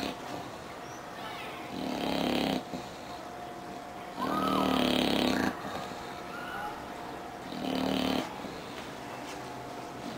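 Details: English bulldog snoring while asleep: three loud, rasping snore bursts, each one to one and a half seconds long, come roughly every three seconds with quiet breaths between, over a faint steady hum.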